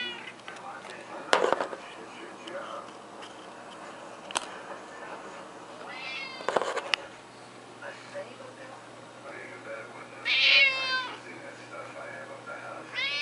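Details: Pet male cat meowing while being fed a fishy treat indoors, recorded after midnight in March 2018; several bright, wavering meows around six to seven seconds, a louder drawn-out one near ten seconds and another at the end, with a person talking and clicks.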